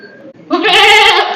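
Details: Goats kept at a house bleat loudly, wavering and nasal, calling because it is their usual time to be let out to graze outside.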